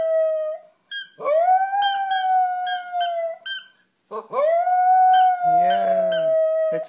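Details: A pet dog howling at a squeaky toy gives long steady howls, each starting with a rising scoop, broken by brief pauses, while the toy squeaks in quick bursts and a person's voice briefly joins.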